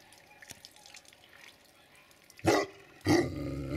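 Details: Family of Tibetan Mastiffs: after quiet background ticking, two loud broad barks come about half a second apart near the end.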